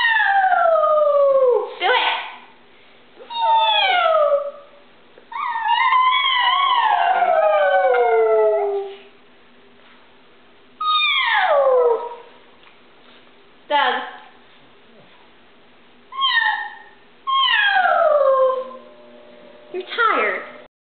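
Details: A pug howls in long, wavering notes that slide downward, copying its owner's howl; it began by barking when the doorbell rang and then howled along with the owner's voice.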